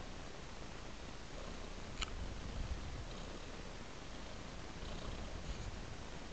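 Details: Domestic cat on a soft blanket giving a low, even purr that runs unbroken, with a single sharp click near the middle.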